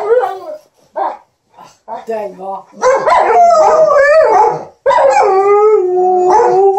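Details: Household dogs Liza, an Alaskan Malamute, and TJ, a Golden Retriever, entertain their owner at the ironing board with "talk": short grumbling yips, then loud continuous wavering, woo-woo howl-like vocalising in long phrases.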